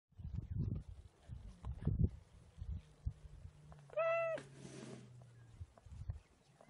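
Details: Cheetah. A cheetah gives a single brief call, clear and tonal with a steady pitch, lasting under half a second. Low rumbling and scuffling sounds fill the rest of the recording.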